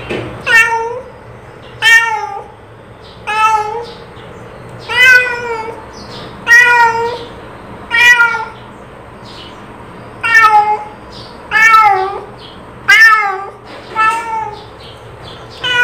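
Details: Cat call made of repeated short meows, eleven or so across the stretch, each bright and harmonic with a dipping end, coming every one to two seconds with faint quieter mews between.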